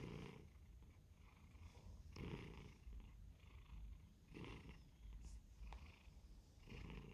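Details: A pet cat purrs in a low, steady rumble that rises in waves roughly every two seconds. It is filmed while reacting to WhatsApp and Facebook notification sounds, with a few faint clicks in the quiet room.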